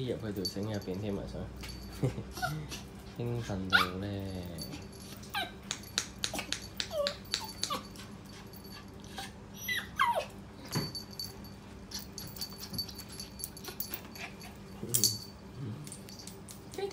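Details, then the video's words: Excited pet poodle indoors, waiting to go outside. It gives sliding, pitch-bending whines, then scattered squeaky yelps and short barks, spaced a few seconds apart. A person speaks in the background. "My Poodle B女 準備出街街勁興奮"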